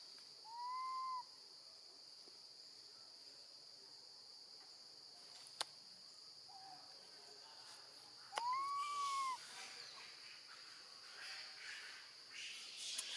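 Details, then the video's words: Baby monkey, a female, calling for her absent mother while alone with her grandma: two clear arched wails about seven seconds apart, a faint softer cry between them, sharp clicks, and scratchy rustling noise toward the end. "Baby monkey screams loudly, calling for her mom when left alone with her gentle grandma"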